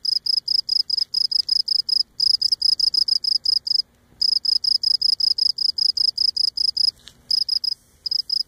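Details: Close-up cricket on Cape Cod, legs rubbing against abdomen: bright, high, shrill chirps repeated about five times a second in long steady bursts, with a few short breaks, one nearly half a second long.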